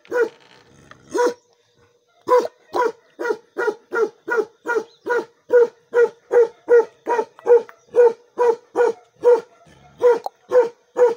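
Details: Bakarwal dog, a guard dog breed, barking: deep, steady barks repeated about twice per second, with a short pause after the first two barks, then an unbroken run.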